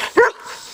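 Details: A male full-bred Collie, a pet who loves to jump, gives a single short, sharp bark while jumping in a home training session, with a quick rise then fall.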